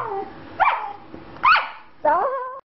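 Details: Pet female Australian Shepherd crying about her boy, giving three short, rising-then-falling whining yelps about half a second apart, separated by quiet gaps and a man's voice.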